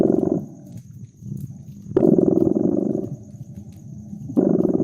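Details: Domestic cat purring beside a crackling fireplace in a cozy winter setting: loud, pulsing low rumbles about a second long return roughly every two seconds, with softer stretches between and faint sharp crackles from the fire.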